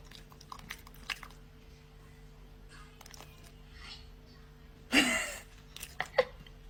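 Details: A dog eating, making a funny noise: scattered crunchy chewing clicks and soft rustles through a quiet room, with a sharp loud crunching burst near the five-second mark, two brief snaps after it, and a steady low hum underneath.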